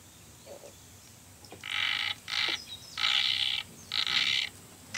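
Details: On Sado Island, the newly discovered Sado frog calls in loud grating bursts, each lasting half a second to a second. Five come in quick succession after a quiet start.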